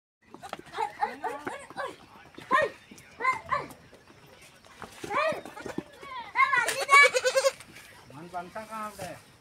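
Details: Baby goat being fed milk, giving quavering, wavering bleats in short bursts, the loudest cluster near the end, mixed with human voices talking throughout.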